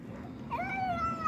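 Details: Indoor pet cat meowing while eating dinner: one long, clear meow that rises and then slowly falls and trails off, with a woman speaking Turkish around it.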